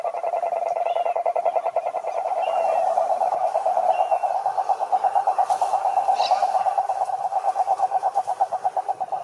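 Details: Toad croaking in a dense, continuous pulsed trill, the pulses almost merging into a buzzing drone at first, then becoming more distinct and evenly spaced later.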